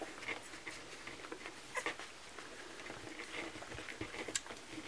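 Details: Kromfohrländer puppies at a milk feeding, a steady patter of soft smacking and suckling clicks, with a few faint, brief high squeaks scattered among them, indoors.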